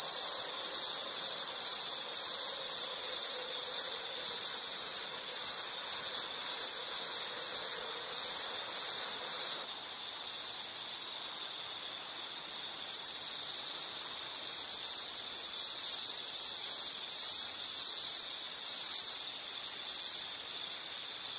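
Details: Insects chirping steadily in a natural night-like scene, a dense high band of pulsed trilling that runs on without pause, with a faint lower rustling hum fading out just under halfway through.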